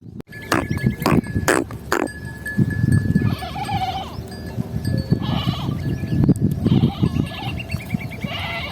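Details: Sheep bleat in wavering, nasal calls over a steady rumble, with cowbells clanking early on.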